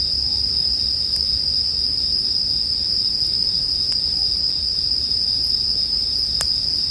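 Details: Bell crickets keep up a dense, level ringing drone while several sharper campfire crackles pop out clearly, one louder near the end, over a gentle low rumble.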